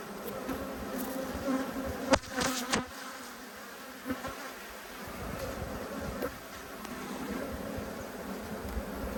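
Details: Angry honey bees buzz during an inspection of two hives in March 2022. A continuous, humming drone runs throughout, broken by sharp knocks and rustles from the frames being handled near the start.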